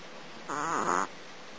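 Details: Sleeping domestic cat snoring: a single half-second breath sound with a rough, fluttering tone that dips and rises slightly in pitch. It is set against a faint steady background hiss.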